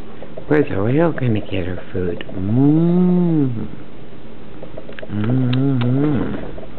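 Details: Two Newfoundland siblings, Burley and Miss Priss, romping and wrestling, let out long, low, seal-like moaning howls that rise and fall, one sustained for about a second and a half, amid brief chatter.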